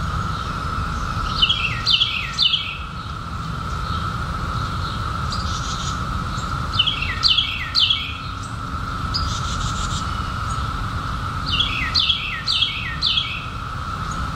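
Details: An unbroken, level buzzing hum of periodical cicadas from the 2021 emergence after 17 years, overlaid by clusters of sharp descending bird chirps at about five-second spacing, with occasional rasping bursts.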